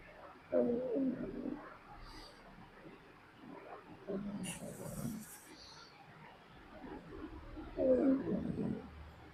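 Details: A sleeping pet dog snores: three loud, rattling, throaty breaths come roughly every three and a half seconds, each about a second long, with soft background hiss between them.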